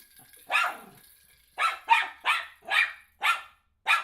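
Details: Eight-month-old miniature schnauzer at home, barking excitedly at a toddler's toy ball: seven sharp, harsh barks, one isolated then six in quick succession about half a second apart, with a soft hushing voice at the start.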